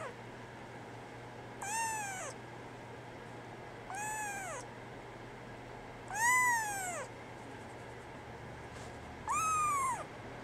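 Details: Brown tabby and white female kitten born 24 December 2010 meowing: four clear, fairly high meows, each rising then falling, spaced about two to three seconds apart over a faint steady hum.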